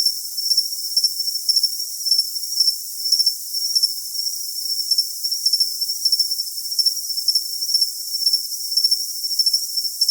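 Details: Cricket sound for tinnitus masking, high and thin, with bursts of rapid chirps in uneven clusters above a continuous shrill hiss.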